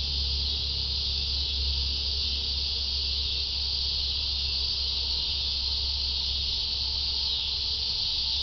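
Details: Shrill, unbroken cicada chorus, a dense, even hiss-like drone holding steady throughout, with a soft low hum beneath.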